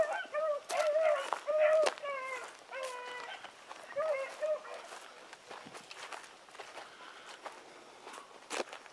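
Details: Dogs Sassy and Magnum, pups working with Ringo and Boone, bay in a quick flurry of sliding, quavering notes during the first half. Afterwards only faint movement and soft background sounds remain.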